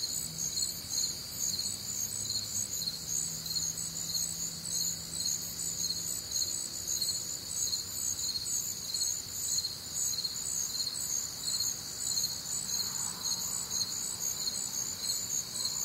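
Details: Crickets and other night sounds on a humid, warm Midwestern summer evening: a continuous shrill chorus of pulsed chirps around twice a second across high bands, with faint low droning tones early on and a soft distant hum.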